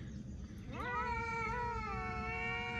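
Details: Domestic cat talking: a single long meow that starts low, sweeps upward and then holds a steady, drawn-out tone for about two seconds over a faint low hum.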